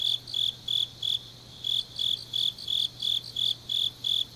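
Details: Autumn night grass insects from Changnyeong, South Gyeongsang, South Korea: sharp, high-pitched chirps about three per second, a brief pause after the first second, then the even pulsing resumes over a quiet low hum.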